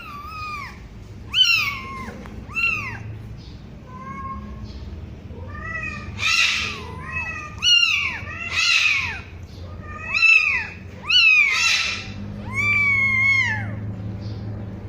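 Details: One-week-old kitten mewing: about ten thin, high-pitched cries, each rising and then falling, some short and some drawn out, spaced irregularly a second or two apart, with faint low background rumble.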